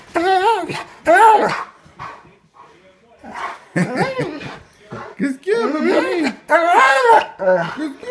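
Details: A pet Bernese Mountain Dog greets its owners coming home with affectionate howling: rising and falling whining howls in several bursts separated by brief pauses, with human voices alongside.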